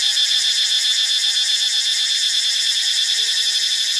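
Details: Cicada chorus recorded in Ubon Ratchathani, Thailand: an intense shrill buzz with the highest layer throbbing rapidly, about four pulses per second, over a constant hissing drone.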